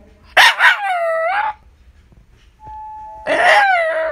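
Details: Indoor Shiba Inu sends out a quick double bark ending in a long, falling, whining tone. A steady ringing tone follows, then another sustained barking howl.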